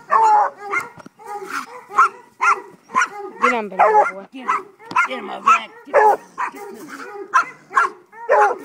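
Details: Urged on by a man calling 'get him, boy', a five-month-old Treeing Walker Coonhound pup barks rapidly, about two short, rough barks each second, with the man's voice mixed among them.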